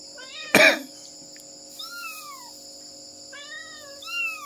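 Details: Mother cat searching for her kittens: after a sharp knock, two high, thin meows slide downward, followed by two more overlapping arched meows near the end, over a steady high-pitched background hum.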